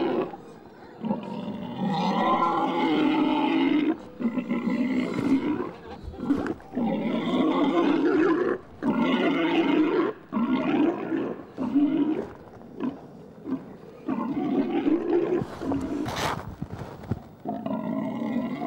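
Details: Wild boars mating in a forest: a male mounts a female, and she runs off with him half on her back. Loud, harmonic, drawn-out squeals come in repeated bursts, each a few seconds long, separated by short gaps.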